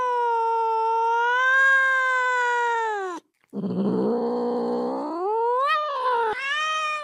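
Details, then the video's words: Domestic cat vocalizing to draw another cat's attention: a long, even, low wail lasting three seconds, then a rough, growly rising howl that climbs in pitch and ends in a strained cry. "Bruit de Chat pour attirer un Chat"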